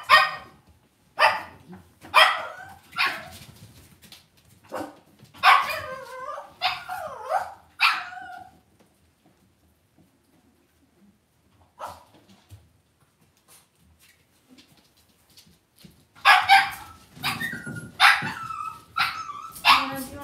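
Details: Cavalier King Charles Spaniel puppies in a home puppy pen: bursts of shrill yips and small barks, then a long quiet stretch, then another flurry of high yelps and whines.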